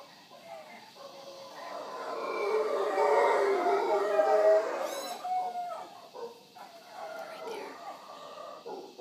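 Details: Morning howling from wild howler monkeys near the Manzanillo Wildlife Refuge at Villa Toucan, Punta Uva, Costa Rica: a deep, grinding roar swells to a peak mid-clip, then breaks into shorter pulsing bursts, with one sharp bird call.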